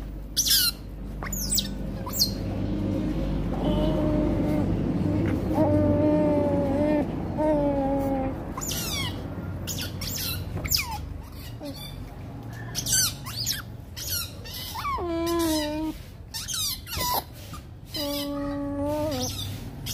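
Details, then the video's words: Rottweiler puppies fighting, giving repeated high, steady whines and short squeals, some held for about a second, over a constant low hum and scattered sharp clicks. "Cute Little Rottweiler Fight Baby"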